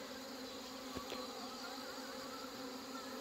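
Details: Many honey bees humming steadily while hornet-damaged colonies and colonies with failed mating are merged at a Korean apiary on Chuseok morning; an even drone with two short soft knocks near the middle.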